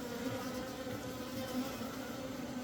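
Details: Asian honey bees of different body sizes arriving at an apiary on 17 September 2023; a steady, continuous droning buzz with a low hum and a fainter higher overtone, holding even in loudness throughout, with no other clear sounds.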